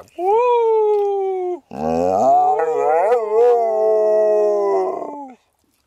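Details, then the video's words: Sammie the Pooper, a small dog in an RV, joins a howling conversation with its owner: a short level howl, then a longer layered howl with wavering pitch sustained for several seconds. "Conversations with my Dog Sammie the Pooper (Dog Howls)"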